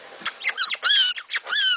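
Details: A young male pet black-tailed prairie dog, just put back in his cage after playtime, gives rapid, high, squeaky barks in an excited, happy burst.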